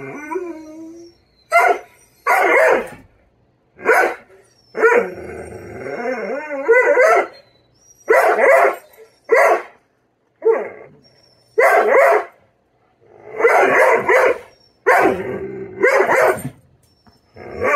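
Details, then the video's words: Poupoune, a female Doberman, throws a tantrum because her breakfast is slow to be served: loud, sharp barks in short bursts separated by brief silences, with a drawn-out wavering whine-howl in the middle. "Doberman tantrum"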